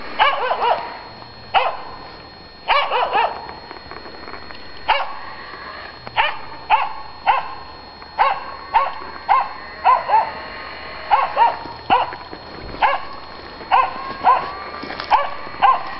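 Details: Finnish Spitz confronting a raccoon dog, barking in bursts of sharp, arched barks, sometimes doubled or tripled, spaced irregularly about every second; low steady hum in background.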